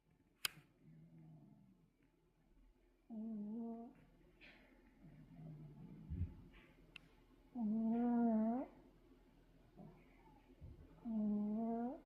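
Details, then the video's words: Black Pomeranian named 땡보 snoring in its sleep indoors: tonal, humming snores with a wavering nasal pitch, each about a second long and coming every three to four seconds, softer breaths between. "코고는강아지 #코골이"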